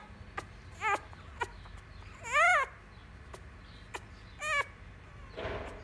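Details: Miniature Schnauzer puppy Fantom, a young male, protesting at being picked up and carried: sparse short whimpers and one louder wavering whine, with quiet rustling and clicks between.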